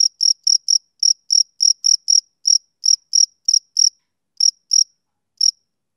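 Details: A male cricket gives a series of piercing, high chirps that start regular and then thin out, with growing gaps and a final isolated chirp near the end.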